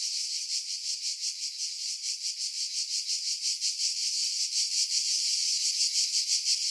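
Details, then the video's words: Cicadas calling from pine trees 50 m above the sea, Pefkos Bay, Skiros, Greece, July 2018; steady high rasping drone with quick rhythmic pulsing that grows slightly louder toward the end. "Cicada Sounds"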